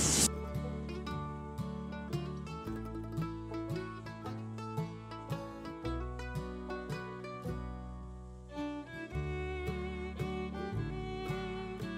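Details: Plucked-string music with mandolin and guitar tones plays steadily throughout, with no animal voices heard.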